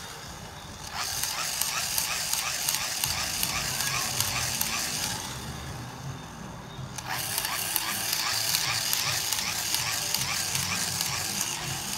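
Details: Broadband hissing whir with rapid repeating ticks, breaking off briefly near seven seconds before resuming.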